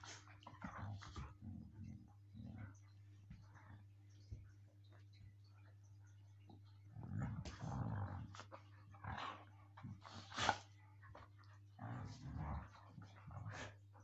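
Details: Siberian Huskies playing roughly with biting and pulling, growling in play; low throaty growls come in bursts with sharper snarls and yelps, separated by quieter pauses, over a steady low electrical hum.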